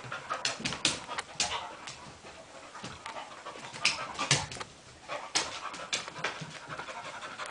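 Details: Sophie and Ryo, two dogs, roughhousing in play: loud, rapid bursts of huffing breath and panting, with sharp scuffling noises and brief pauses between flurries of activity.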